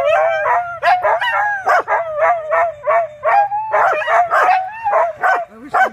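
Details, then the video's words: Pet dogs Cai and Apollo howl while Flyn behaves wildly; a sustained wobbling howl under short barks repeated a little over once a second, irregularly spaced. "dogs howling, best friends being vocal"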